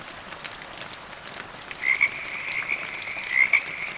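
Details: Frogs in medium rain and gentle thunder, rain hiss first, then a high trilling chorus with paired pulsed croaks recurring every second or so.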